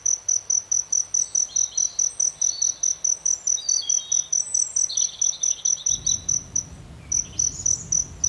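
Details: Chirping cricket near aloe vera flowers gives crisp, high-pitched pulses in a quick even series, roughly three per second, briefly pausing near the end, with a soft low rumble entering partway through.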